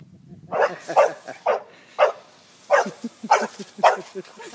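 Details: Bulldog barking in a run of about seven short, sharp barks across four and a half seconds, spaced unevenly, with quieter low yips and grunts between them.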